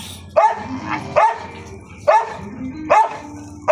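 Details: Dog barking in sharp, evenly spaced barks about every second, with low background talk of people beneath.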